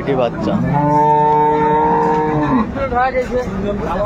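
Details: Improved-breed dairy cow with her female calf, Ambari market, Dinajpur, 22/4/24: one clear, sustained moo lasting about two seconds, rich and steady before tailing off, with faint market bustle behind.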